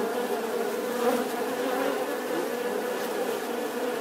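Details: Continuous bee drone, an even, dense hum at steady loudness with a brief swell near the first second; no other sounds stand out.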